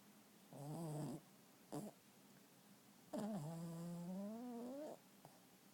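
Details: Pet dog snoring comfortably indoors while asleep. Two low, moaning, voiced breaths are heard, the first short and the second drawn out and slowly rising, separated by a brief snort, with quiet room hiss between them.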